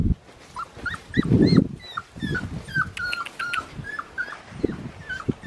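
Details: Australian Shepherd puppy, a black tri male with one blue and one green eye, giving a run of thin, high whimpers that curl up and down, interspersed with soft handling thumps and rustling.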